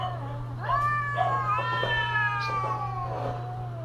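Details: Cats calling during mating season: a drawn-out, harmonic-rich wail that swells upward and then glides slowly down. It holds as one long sustained yowl with slight wavering. A steady low electrical hum runs underneath.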